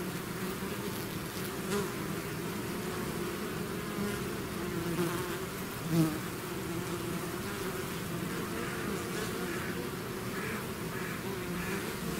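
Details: Dense buzzing of a bee swarm emerging from its hive, a continuous layered drone of many wings, with single bees passing close now and then, one louder fly-by near the sixth second.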